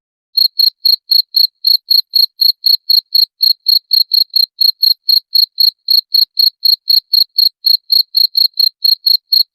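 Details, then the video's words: Cricket, played to repel rats, starting after a moment of quiet and then chirping continuously in shrill, evenly spaced pulses, about four every second, with no pauses and no other sounds. "SUARA JANGKRIK PENGUSIR TIKUS"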